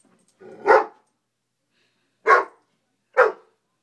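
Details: An 11-month-old Great Dane mix gives three deep, full barks at a bug, the first drawn out and the last two short and close together, protecting its owners.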